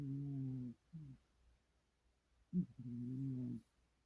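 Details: Sleeping cat murmuring while dreaming, low steady hums of under a second, a short second hum, a sharper grunt, then a longer hum of about one second, all soft and nasal in a still room.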